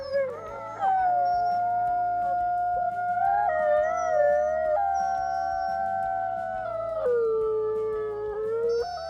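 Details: Wolves in the wild give long overlapping howls that serve pack contact, territory marking and emotion. Sustained steady tones shift in pitch in steps, with a lower voice dropping near the end, over quiet low background droning.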